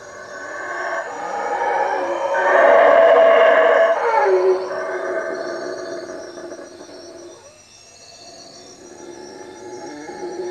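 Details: Several howler monkeys roar at night from treetops above a hut by Lake Peten Itza, Guatemala; a deep, gravelly chorus swells to a peak around three seconds, then fades and thins out, with faint steady high-pitched insect buzzing throughout.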